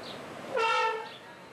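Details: A pair of Asian elephants at Cincinnati Zoo, described as playful; one gives a short, brassy, horn-like trumpet of about half a second that holds steady, then slides slightly lower, over faint background hiss.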